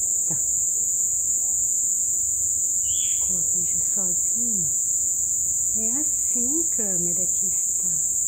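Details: Continuous shrill ringing of many crickets at dusk following days of plentiful rain, an unbroken high buzz that holds level throughout, with a person speaking in lilting, rising phrases near the microphone and one short high chirp.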